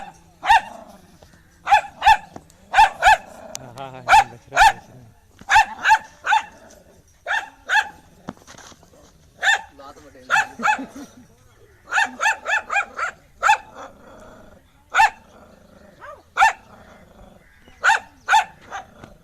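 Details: Angry dog barking: loud, sharp barks in irregular bursts, often doubled or in quick runs of three to four, with short pauses and a brief rough, drawn-out vocal sound between volleys.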